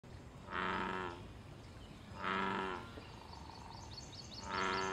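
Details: American bullfrog in a wild pond, calling amid mating, territory and fighting activity: three loud, deep, droning harmonic croaks, each under a second long and spaced about two seconds apart, with faint high bird chirps near the end.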